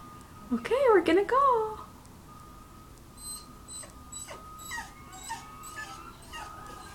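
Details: A Welsh Terrier, excited at the prospect of going to visit the grandparents, gives a short burst of high, wavering whines lasting about a second. A steady electronic tone and soft indoor background noise follow.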